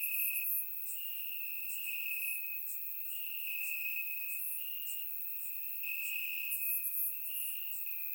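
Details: Night chorus of crickets in Bulgarian grass on a warm summer evening, surround-recorded; a continuous high-pitched trill swells and fades in long stretches while sharper, higher chirps repeat about every second.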